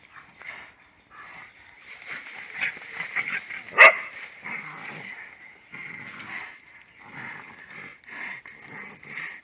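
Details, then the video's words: Dogs fighting among themselves, a stretch of scuffling growls, yelps and barks, with one loud sharp crack midway and a steady high whine throughout. "When Dogs🐕 fight among themselves !!!! | Canis lupus familiaris fights"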